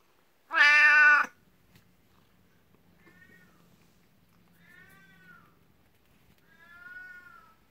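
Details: Jealous 12-year-old black cat Beni-chan fawns at someone's feet indoors, competing with a 19-year-old elder cat; one loud, strained meow, then three soft, thin mews spaced about two seconds apart.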